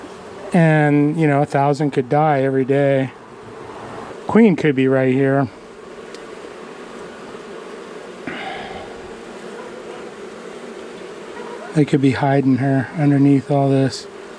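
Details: Angry honey bee colony, long settled in the wall of a house, buzzing after dark on the first day of a March 6th cutout. Loud, wavering buzzes come in bursts over a steady low colony hum, with quiet gaps between them.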